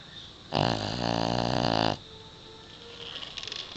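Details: Sleeping Pekingese dog snoring very loudly: a single drawn-out, raspy snore of about one and a half seconds with a fast buzzing flutter, followed by quiet room sound and a faint rustle.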